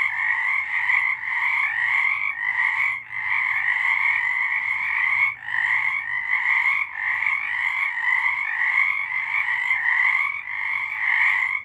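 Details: A massed frog chorus recorded in March 2023, an unbroken wall of pulsing trills with two stacked tones, briefly thinning around three, five and six seconds, then pressing on steadily.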